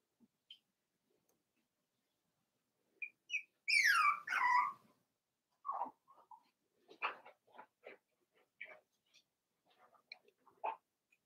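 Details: Four-week-old Cavalier King Charles Spaniel puppies from Daisy's litter in their indoor puppy pen: two loud, high, sliding whines in quick succession midway, followed by scattered short squeaks and soft ticks.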